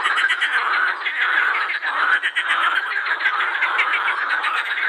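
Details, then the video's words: Edible frogs croaking in a dense chorus at the Krebsenwasser pond in Vienna's Prater, males inflating vocal sacs; overlapping rapid rattling croaks pulse continuously with no break, forming a thick, steady quacking wall of sound. "Teichfroschkonzert am Krebsenwasser"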